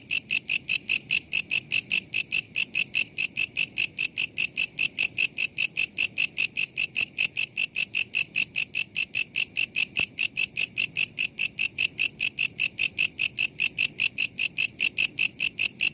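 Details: Walang kecek katydid used as songbird training audio, calling in an even, metallic ticking rhythm of rapid high-pitched pulses, about forty in a row at a constant pace, over quiet low rumble.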